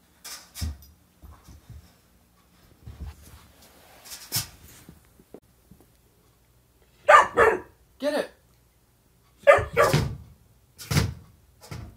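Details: German Shorthaired puppy, 12 weeks old, new in a home in Central Pennsylvania, playing at getting a toy from a waste basket and disliking being filmed; a few short sharp barks and yips between soft thuds, with a man's encouraging voice.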